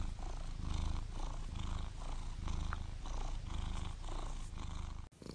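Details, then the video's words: Close, loud purring from a domestic cat, the low rumble swelling and easing with each breath roughly twice a second before cutting off abruptly near the end. "Listen To The Purr Of The Cutest Cats"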